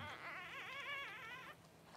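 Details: Newborn Cavalier King Charles Spaniel puppy, one of the first two born as the mother, Paris, whelps indoors. It gives a single high, wavering whimpering cry that rises and falls for about a second and a half, then stops, leaving a low room hum.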